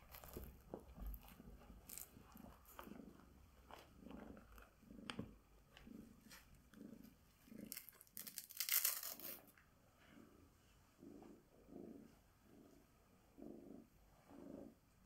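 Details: Tabby Bengal cat Sonya being groomed with a glove gives a soft, low purr in rhythmic pulses, broken by sharp rustling and brushing bursts from the grooming, then resuming with about six even pulses.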